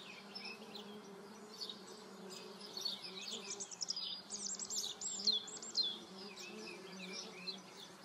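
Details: Paper wasps on the wing produce a constant low buzz beneath a busy run of rapid, high, bird-like chirps in the middle seconds.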